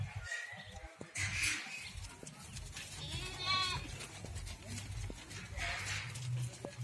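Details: Goat on a farm in Ajmer, Rajasthan, with a single short, shaky bleat near the middle. Brief human voices come before and after it, over a constant low-pitched hum.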